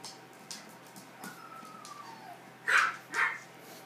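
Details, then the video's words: Poodle puppies: a thin drawn-out whine slides gently downward for about a second, followed by two loud, sharp yelps half a second apart, with soft indoor clicks in the background. "Poodle puppies"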